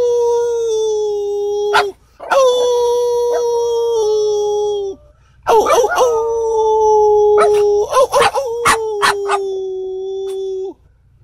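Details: A French Bulldog, taught to howl by its owner, gives long sustained howls that slide slowly downward, with a break and then a second drawn-out howl broken by short yips; a person speaks briefly nearby.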